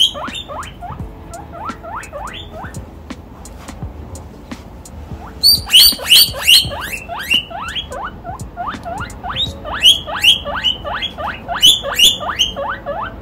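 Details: Young guinea pig (Cavia porcellus) wheeks excitedly, a quick series of squealing whistles sweeping sharply upward, in delight on seeing and chasing a chinchilla during play.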